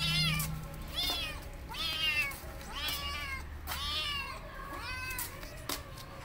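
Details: Hungry, burnt and wounded stray male kitten being rescued, giving a series of about six high, plaintive meows, each rising then falling, roughly one per second, over low steady background hum.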